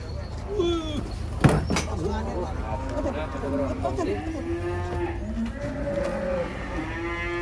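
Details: Large cross-Brahman cattle from Probolinggo, Indonesia, coming down from a truck at a contest; drawn-out moo rising and wavering in pitch over several seconds, with a sharp knock and men's voices around it.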